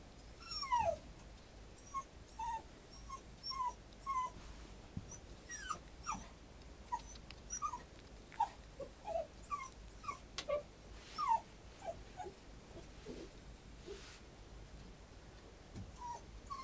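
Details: A dog whimpering: short, high, whined notes that slide downward, repeated roughly every half second to one second throughout, with faint clicks and soft rustling in the background.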